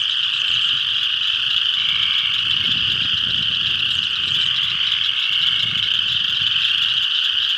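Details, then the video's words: Pond in northeast Kansas in spring, spring peepers calling in a dense chorus; sharp high-pitched peeps overlap without pause, some slightly lower notes weaving through, soft low background noise. "Spring Peepers"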